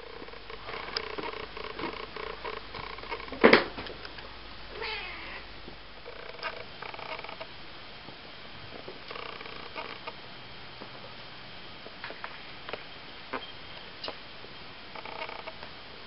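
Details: Ocicat kittens, eight weeks old, indoors: faint, short, high mews and soft purring rumble scattered through a quiet room, with a sharp click or knock partway through and light handling noises.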